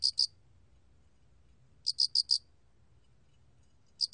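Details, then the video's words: Alak cricket (알락귀뚜라미) singing, recorded in 2020 by the National Institute of Biological Resources: bright, clicking pulses in tight bursts, two, then four, then one, separated by quiet gaps, over a soft low rumble. "알락귀뚜라미, 1번 듣기, 곤충소리"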